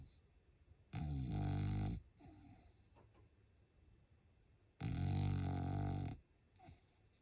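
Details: Goog, a French Bulldog relaxing at home during Golden Week in Japan, snores loudly while asleep: two long, harsh, rumbling snores about four seconds apart, each lasting over a second, with softer snuffling breaths between.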